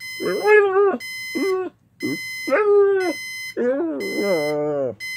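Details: Domestic pit bull reacting to the alarm: short separate whining howls, some with a wobbling pitch, with quiet gaps between them. Repeated high electronic beeps of the alarm clock run alongside.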